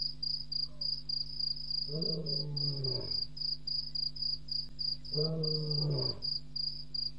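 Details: Lion roaring at 01:05 a.m. on April 13, 2017, at Djuma Game Reserve after walking across a dam wall; two long, deep moaning calls sliding downward, a few seconds apart, over steady high-pitched night crickets.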